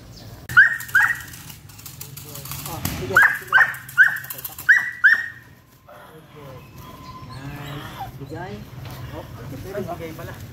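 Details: Five-month-old Belgian Malinois Hunter in a bite work training session lets out sharp single barks in irregular pairs and singles over about five seconds, followed by softer whines and a human voice speaking.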